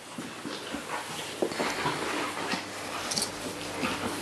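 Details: Neapolitan Mastiff puppies at home indoors; short high whimpers and yips come in scattered bursts over a small room, with faint knocks and household clatter in the background.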